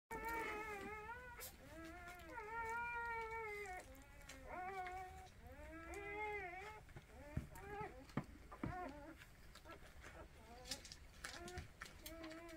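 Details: Orphaned puppies that lost their mother, being bottle-fed by hand: repeated high, arching whimpers and whines in overlapping bursts, several callers at once, fading toward the end with a few sharp clicks and handling noises.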